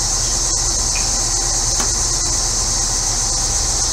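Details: Hot-day cicada chorus in central Illinois, a continuous high sizzling buzz with one short bird chirp near the start and the low hum of a neighbour's air conditioner.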